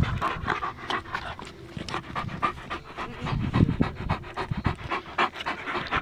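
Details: German Shepherd enjoying a beautiful day outdoors, one of two: quick, breathy panting repeated about four times per second, steady and rhythmic throughout.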